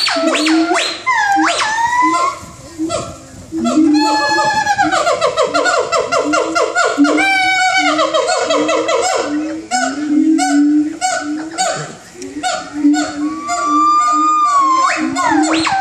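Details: Siamangs calling in the early morning give loud, ringing whoops and barks that sweep up and down and speed into rapid bursts.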